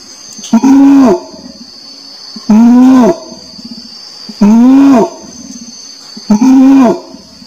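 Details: Orangutan voice: four long, deep, bowed calls, each rising and then sagging, repeated about every two seconds, with a thin continuous high hiss in the background.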